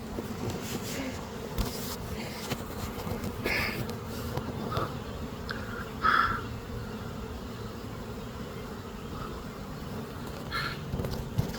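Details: A beekeeper stands inside a swarm of several thousand honey bees from a hive in an old hot-water heater core, hunting for the queen. A thick, even low buzzing runs throughout, with occasional louder bursts of handling noise and a short high tone midway.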